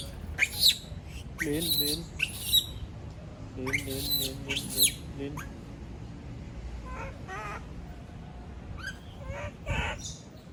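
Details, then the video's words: Female monkey screaming after being left alone: several shrill, wavering squeals in bursts, with pauses between, then quieter high cries near the end against faint background noise. "Sound of monkey berlin scream when all leave her alone, monyet berlin berteriKmak sendirian"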